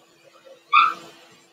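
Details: Single short, bright yelp from a blenheim Cavalier King Charles Spaniel puppy in a litter of five kept in an indoor home puppy pen, over a steady low hum.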